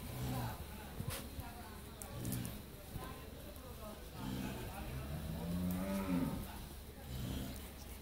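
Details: At a dairy farm in Pabna, Bangladesh, a first-calf Friesian cow with her bull calf lets out several low moos, the longest and strongest swelling past the midpoint, over steady background hum and a few clicks.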